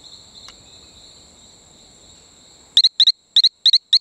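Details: Talamanca rocket frog calling on Isla Colon near Playa Bluff, Bocas del Toro, Panama: after quiet insect drone, a loud series of sharp double-peeped chirps repeated in quick pairs, with steady high insect whine throughout.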